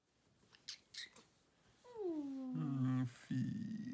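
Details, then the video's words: Kitten wearing a scarf, indoors at close range, gives a squeaky routine: a soft falling squeak, then a lower drawn-out whining call and a second short rough note, with faint rustling before. "Kitty in scarf: Squeak routine."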